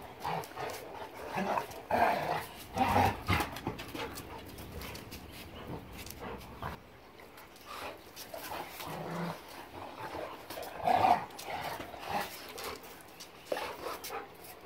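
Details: Pet dogs, a German Shepherd Boxer mix, at play in a recording from January 26, 2021, giving intermittent low growls and grumbling bursts between quieter stretches, with rustling and pawing noises throughout.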